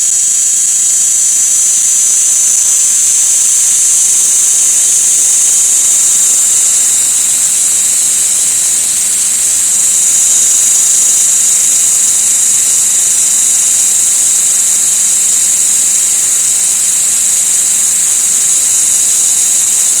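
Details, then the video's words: An insect giving a loud, piercing, high-pitched buzz that holds steady without a break for twenty seconds, swelling slightly around the middle, with no other clear sounds. "This insect has an annoying sound"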